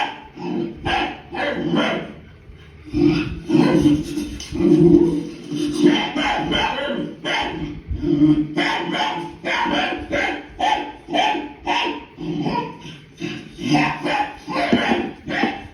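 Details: Leo the dog barking in reaction to barking heard on TV, repeated sharp barks in quick irregular series throughout, some louder clusters, over a constant low background hum.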